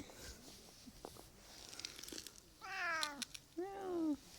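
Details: Affectionate, attention-seeking Japanese cat in Japan, called to come and played with. Two clear meows near the end: a longer, higher cry with falling harmonics, then a shorter, lower, downward-sliding one, after soft rustling.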